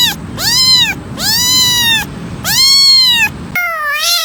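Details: Domestic cat meowing, four arched, harmonic-rich meows about half a second to under a second each, followed by a shorter wavering meow, all over a faint low background hum.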